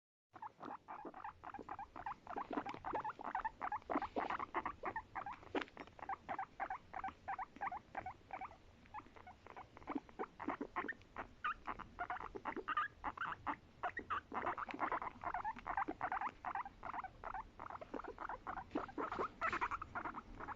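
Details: Pet guinea pig giving its sweet, affectionate voice: a rapid, nearly continuous stream of short squeaky pulses, steady throughout and rising slightly in intensity toward the end, with no other clear sounds.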